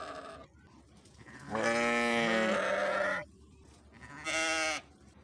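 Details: Sheep bleating: a long wavering harmonic bleat of about 1.7 seconds, then a shorter second bleat after a pause, over a quiet background.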